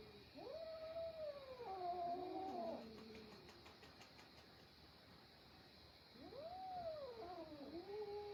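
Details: Domestic cat, a kitten fighting with his adult brothers: long drawn-out wavering yowls rising and falling, one lasting over two seconds, then a pause and a second bending, descending wail.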